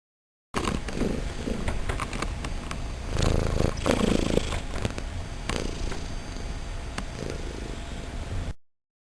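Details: A kitten purring: continuous low rumbling purr lasting about eight seconds, with slightly louder pulses mid-way.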